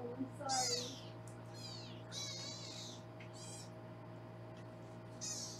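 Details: Foster kittens being weighed on a Los Angeles kitten cam; a run of shrill, wavering mews crowding together near the start, then quieter high cries spaced apart, steady room hum underneath.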